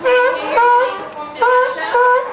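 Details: California sea lions at SeaWorld Orlando's Pacific Point Preserve in August 2003 give loud, tonal barks in repeated bursts, each a rich wavering honk, barking to one another.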